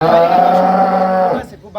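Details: A dairy cow on a farm in Domar, Nilphamari district, Bangladesh, gives a loud, steady, drawn-out moo lasting over a second with a rich harmonic tone, then breaks off into a brief rough sound.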